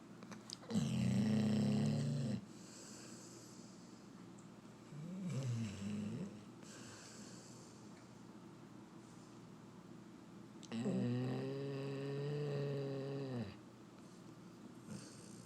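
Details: Vernon, a black and tan Labrador, lies asleep with a cat named Brewster on him, giving light snores: three long droning, buzzy inhalations of about one and a half to three seconds each, spaced several seconds apart, in a quiet room.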